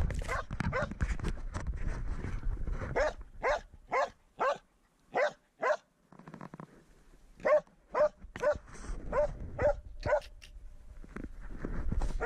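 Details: Swix, a dog, baying at his first wild boar: loud, sharp barks repeat about twice a second in bursts, pausing briefly near the middle, over a low rumbling background with some noise.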